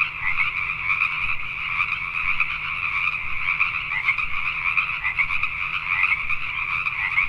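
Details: Dense nighttime chorus of Pacific tree frogs recorded in Richmond, British Columbia, Canada: countless overlapping croaks pulse continuously, a few louder nearby calls rising over the throng, with a low background hum.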